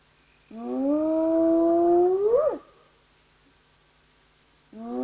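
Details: Spotted hyena whooping, caught by a live nature camera: a long, steady, low moaning whoop that swells and then bends sharply upward at its end, followed by quiet, and a fresh whoop beginning at the close.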